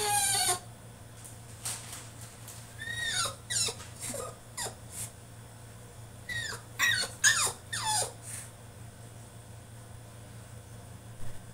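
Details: Tantrum by a French Bulldog shut in his cage, with a sharp opening squeal, then bursts of high, falling whines in clusters, separated by quiet gaps, in a small room.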